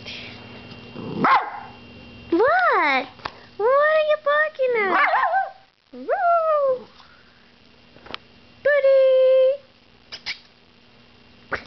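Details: Boots, a pet dog, barking at the camera as it is brought out: a series of yelping, whiny barks that rise and fall in pitch, with a short held yowl, separated by quiet gaps, and a brief human voice at the start.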